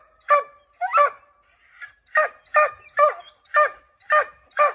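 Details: Redbone Coonhounds, five named dogs, barking at a chipmunk treed in an oak tree; about eight sharp, evenly spaced barks over five seconds, each with a strong harmonic stack.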